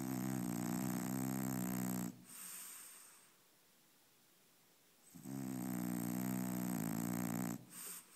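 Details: Sleeping French Bulldog Brownie, dreaming, snores twice: two loud, harsh, buzzing inhalations of about two seconds each, separated by a quiet pause with a faint breath, indoors.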